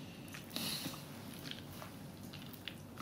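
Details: Small indoor room with soft scraping, brushing and chewing-like clicks and a few brief crunches; no animal voice is heard.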